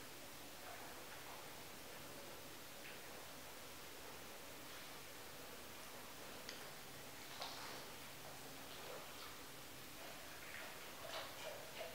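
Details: Soft, steady hiss with faint rustling of fabric and a few light ticking sounds, growing slightly louder near the end; no animal calls.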